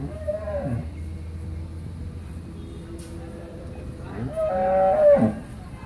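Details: Friesian cow in her second lactation, 8 months 25 days pregnant, at a dairy farm in Pabna, Bangladesh; a short moo at the start, then a quiet gap and a louder, longer bellow near the end.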